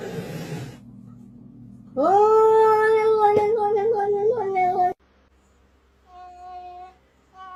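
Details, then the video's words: Kitten meowing in a small room: a loud, sustained meow rises sharply, then holds a level, slightly wavering pitch for three seconds before breaking off; a fainter short meow follows. "Kitten meowing to attract cats"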